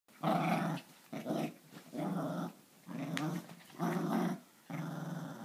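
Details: Italian Greyhound and Papillon playing their morning tug of war indoors, with bursts of low rumbling growls, each lasting about half a second to a second and separated by short pauses, heard in a small room.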